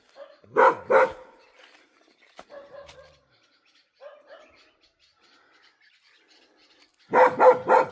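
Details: Near a forest where a trail camera is being placed, a domestic dog barks at an unseen presence, probably a wild boar. Two loud bursts of rapid barks open and close the recording, with faint softer sounds between.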